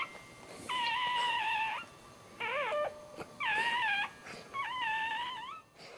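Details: Dog giving birth while standing at home, first of the litter a male; four drawn-out, high whining cries, each about a second long, held steady and then bending upward or downward, separated by short quiet gaps.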